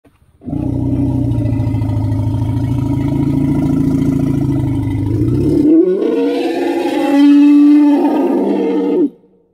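An Asian elephant gives a long, deep rumbling roar that rises into a brassy, blaring trumpet.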